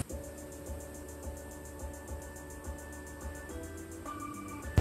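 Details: Steady rhythmic music with a low pulsing beat and sustained tones; no animal voices.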